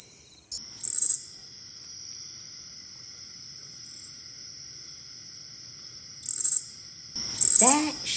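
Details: In August, late in the day in a backyard, an oblong-winged katydid gives its distinctive short two-part zeek zeek, scratchy bursts over a steady, high insect whine.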